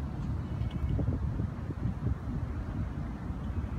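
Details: Low rumbling wind or engine noise fills the recording throughout, with no animal voice audible.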